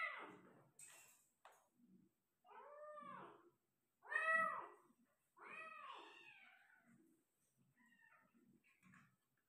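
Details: Persian cat in Gujranwala, around a delivery of five kittens, indoors: a run of four arched, harmonic-rich meows roughly a second apart, the middle ones loudest, with faint rustling and soft shorter mews trailing off at the end.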